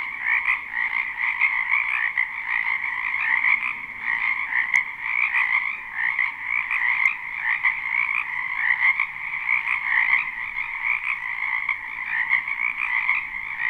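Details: Many frogs croaking in a spring wetland behind a house, live recording without looping; a dense, continuous pulsing chorus of overlapping calls filling the whole stretch, steady and unbroken, with a brighter high band over a lower one.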